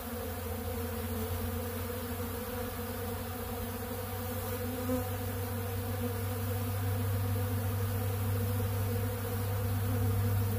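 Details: Honeybees at a big blue feeder taking ultra bee pollen, their buzzing a deep, steady drone with a strong low hum that swells slightly louder toward the end.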